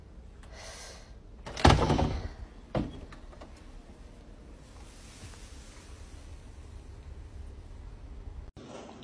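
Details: Indoor thuds and a door-like bang, then steady low room hum with no animal voice.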